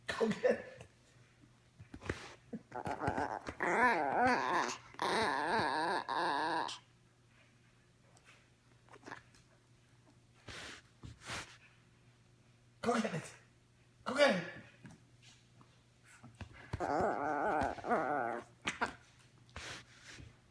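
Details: Ricci, a teacup Yorkshire Terrier puppy who plays with his ball day and night, whines in wavering bursts early and late, with a long quiet middle stretch marked by thumps and short yelps.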